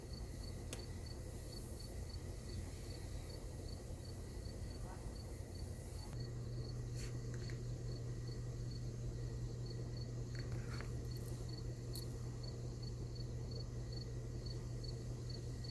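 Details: Crickets heard at night from a tiny house in a campground with the windows open, a peaceful scene: faint, high, evenly pulsed chirping runs throughout over a low steady hum, with a few scattered clicks.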